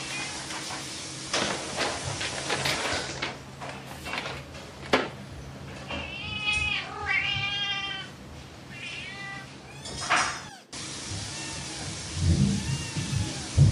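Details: Pet cat producing a few wavering, drawn-out meows mid-way, preceded and followed by rustling, knocking and clattering household noises.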